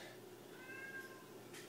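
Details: A pet cat meows in the background indoors while its owner talks about pet turtles. One soft, drawn-out meow, faint beneath steady room hum.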